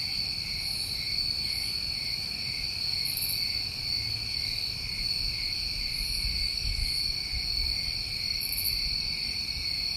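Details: Chorus of New England crickets in summertime: constant high-pitched trilling layered in bands, with frequent short sizzling bursts scattered across the clip and a soft low rumble underneath.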